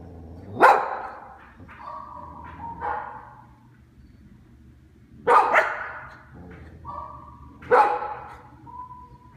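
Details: Pet dog barking back at a recording of himself barking: sharp single barks at about 0.7, 5.4 and 7.8 seconds, each followed by quieter, tonal barks replayed from the recording, with pauses between bursts.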